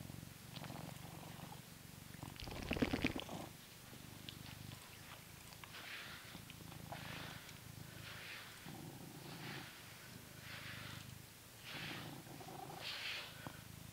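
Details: Coconut, a blue British Shorthair in England, enjoying being brushed, keeps up a low, even purr throughout while rhythmic brush strokes sweep across the fur roughly every second and a half.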